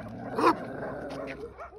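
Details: A Belgian Malinois, barking back at another dog, gives one sharp, harsh, loud bark, then a few quieter, bending whine-like rising-and-falling notes against a low background hum.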